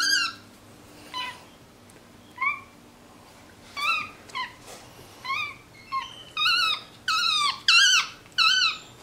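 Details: MonkeyBoo, a vocal pet male capuchin monkey resting on his leather couch indoors, calls with short, high, squeaky chirps. They are spaced out at first, then grow louder and faster toward the end.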